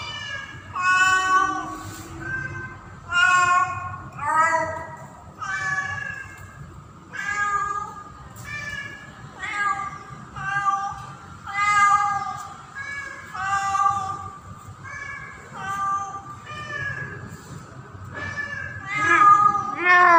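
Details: A female cat in heat during mating season calls for a male with loud, drawn-out, wavering yowls repeated every second or two; cat.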